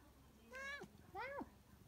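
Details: A female Siamese cat, a talkative one, gives two drawn-out, nasal meows asking for more kibble, each rising slightly and then dropping off at the end.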